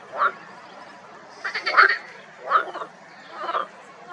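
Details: Marsh frogs in a spring pond with algae, lily pads and reeds give loud, rattling croaks in short bursts about a second apart.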